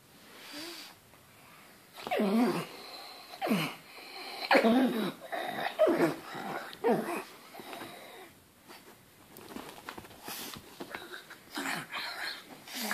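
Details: Pug barking at a banana: a run of wheezy, snorting yaps with falling pitch, about one a second and irregular, with quieter gaps between bursts.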